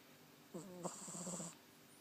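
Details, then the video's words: Sleeping 20-week-old Cavalier King Charles Spaniel puppy snoring: one low, buzzy, voiced snore lasting about a second, with a slight rise and fall and a rippling, pulsed ending, over a faint high hiss. "20 week old Cavalier King Charles spaniel puppy snoring!!"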